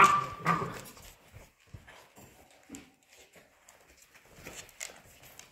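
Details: Polish Hunting Dog puppies, 55 days old, at play indoors: a loud yelp opens, then scattered short whimpers, squeaks and soft thumps of scuffling in a small room.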